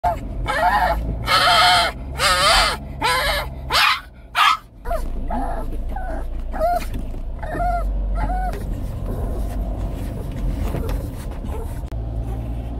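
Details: A 17-year-old Shih Tzu with dementia acting up in the middle of the night at home: a run of loud, sharp barks in the opening seconds, then softer repeated yelps and whines over a steady low indoor hum.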